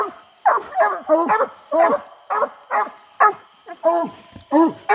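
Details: English coonhounds coon hunting on a hot summer night: about ten rough, arching barks in quick, uneven succession, each short and harmonic-rich, over a quiet background with a thin high tone.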